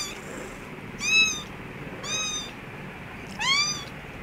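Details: Mother cat with her kittens in an office store room: three short, high, clear meows, each rising then falling, spaced about a second apart over a low hiss of room noise.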